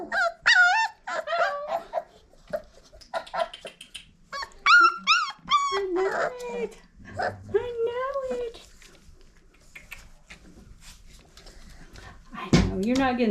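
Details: Five-week-old Old Family Red Nose Pit Bull puppies from Abby and Ragnar, kept indoors, give a series of thin, high whines and yelps that bend up and down, fading toward the end, with a person talking softly between them.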